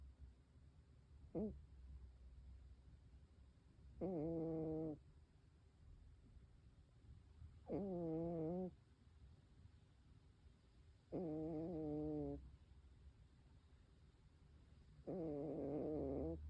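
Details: Sleeping red tabby Scottish Fold cat, born April 2007, indoors; soft wavering moaning murmurs about a second long, repeated every three to four seconds, over a low steady rumble.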